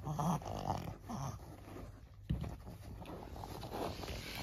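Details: Maria, a 14-year-old senior female fawn Pug in Japan, recorded 25 August 2024, giving rough, throaty snorting breaths, a short harmonic burst at the start, then repeated noisy gusts of air with a sharp snort near the middle.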